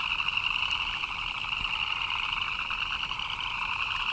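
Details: Frogs calling in the rain, a thick overlapping chorus of quick rattling chirps with a bright high band and a lower humming band, a few clicks standing out briefly.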